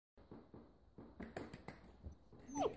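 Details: An 8-week-old female Labradoodle puppy meets stairs for the first time indoors: short harmonic yelps and whimpers come in quick bursts, ending in a louder, higher whine that rises and falls.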